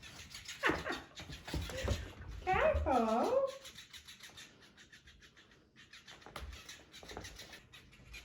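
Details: Cockapoo puppy Ivy indoors, playing with a robotic cat toy ordered from Amazon: short sharp yips, then a wavering, high whining cry that rises and falls for about a second, with faint rustling and a voice nearby.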